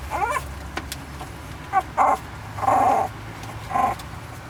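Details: San'in Shiba puppy, a Shiba Inu eighteen days old, giving five short whining squeaks over four seconds, some wavering and some held, rich in overtones, above a steady low hum.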